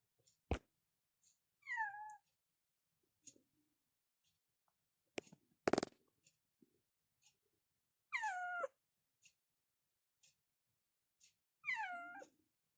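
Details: Cats meowing in a bedroom in the morning, waking their owner: faint, widely spaced falling meows, three over twelve seconds, each sliding downward with a strained edge, between clicks and a loud rustle.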